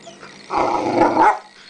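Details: Rhodesian Ridgeback puppy at play on Boxing Day: one rough, rumbling growl lasting about a second, rising slightly at the end, over a low background hum.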